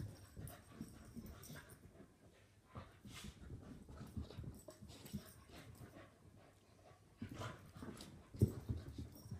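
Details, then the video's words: Adult Soft-coated Wheaten Terrier and a puppy wrestling in a play fight; steady low growling and panting mixed with scrabbling paws, rising to a sharp snarl shortly before the end. "Wheaten Terrier Dog vs Puppy play fight"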